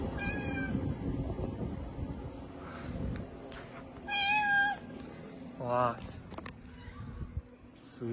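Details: Street cats, a mother cat with her kittens. Three separate high meows sound near the start, the middle and later on, mixed with a person's talk and low outdoor rumble.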